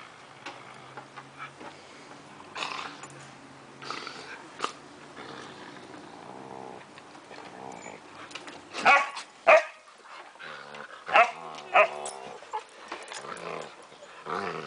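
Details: Playful Siberian Husky pups, five months old, romping with adult dogs on a summer afternoon; low rumbling growls, then sharp clustered barks and yips in bursts.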